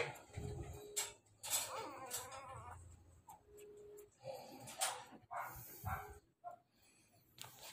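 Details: American Bully puppies, two weeks old, whimpering: one wavering, quavering whine near the start, then brief squeaky cries between rustles, knocks and a person talking quietly.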